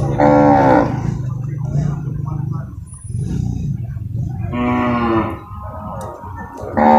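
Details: Water buffalo lowing at the Purwakarta livestock market, Indonesia, Monday 21 November 2022, during loading and unloading: two brief, loud moos about four seconds apart, a third beginning at the end, over a steady low engine-like hum.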